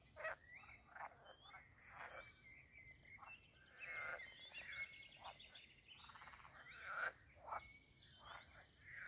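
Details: Pond frogs in mating season at Castle Aerwinkel, Posterholt, the Netherlands, croaking together: dense, rasping, pulsed calls overlapping in irregular bursts, some louder close calls standing out.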